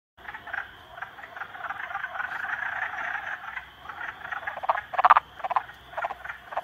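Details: Three frogs ganging up on a salamander. A dense, raspy chorus of pulsed croaks runs throughout, with a few louder, sharper croaks bursting out near the end.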